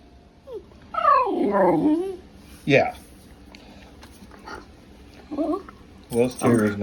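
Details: A pet Welsh terrier making funny noises: a run of whiny, sliding moans and grumbles, rising and falling in pitch, with short breaks between bursts and a louder, higher yelp-like whine at the end, indoors.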